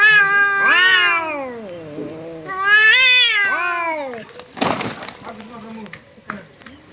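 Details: Domestic cat squaring up to a visiting cat that arrived at its home: two long, wavering, harmonic yowls, each rising then falling over about a second and a half, followed by a sharp, explosive hiss and a few quieter scuffling sounds.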